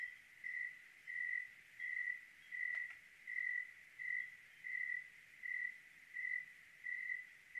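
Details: Clear-night cricket in Oregon sounding a regular string of high, pure chirps about once every seven-tenths of a second, with a single faint tap midway.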